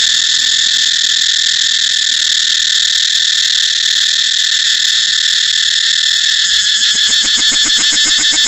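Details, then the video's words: Cicada song as a dense, sizzling high whine held at even loudness for most of the clip. Strong rhythmic pulsing appears in the last two seconds. "cicada เสียงจั๊กจั่น"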